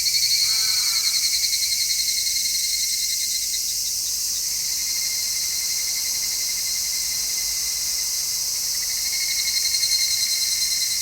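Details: Midsummer cicadas, recorded in stereo with an MKH-416 microphone: a dense, steady high hiss of song with a pulsing band underneath. Brief descending chirps from another creature appear near the start.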